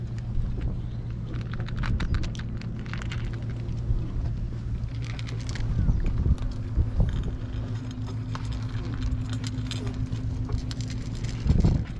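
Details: Steady low engine rumble and road noise fill the scene, with faint speech and no audible cat calls.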